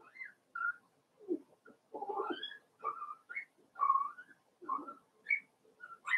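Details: Daisy's four-week-old Cavalier King Charles Spaniel puppies whining in their indoor pen: a busy mix of thin high squeaks and rougher, lower whimpers, several pups calling over one another.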